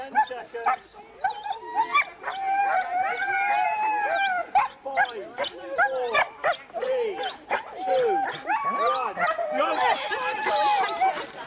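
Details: Sled dog race weekend in the Forest of Dean, November 2001, huskies recorded on VHS: many overlapping excited yelps and short barks, a dense noisy chorus with some human voices mixed in.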